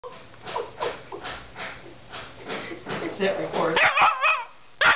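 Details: A small male Siberian husky yelps and whines in rapid, wavering bursts, demanding a bone from another dog.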